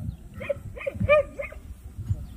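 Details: Jindo dog at a Korean Jindo dog show competition: a run of four short, high, nasal whining yelps about every third of a second, with background crowd noise and low rumble.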